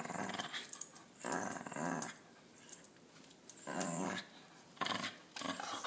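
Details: Pet dogs Max and Princess, where Princess sometimes dislikes a confused Max: five short, low, rumbling growls in bursts of about half a second, separated by brief quiet gaps.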